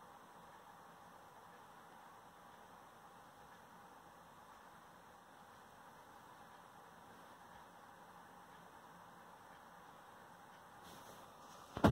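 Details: Only faint steady hiss of a quiet room is heard, with a single sharp click at the very end.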